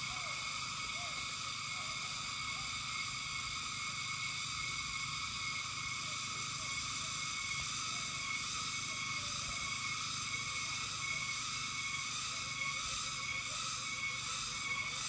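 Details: Cicadas sing a steady, shrill, buzzing drone with a faint pulsing rhythm throughout, heard from Amganad Road in the Philippines on 8 April 2024.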